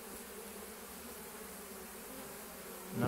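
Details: Honey bees in flight at a hive, foragers returning one after another with full pollen loads, apparently from willow; a steady low buzzing hum throughout, with a brief louder bump at the very end.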